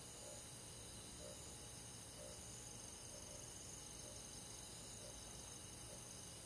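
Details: Summer-night crickets among forest insects in the countryside: an unbroken high, shimmering trill with soft, lower pulses recurring roughly every second beneath a faint hiss.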